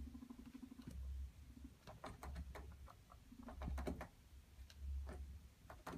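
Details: Guinea pigs, a male courting two females, make low buzzy rumbles broken by quick clicking and chattering sounds.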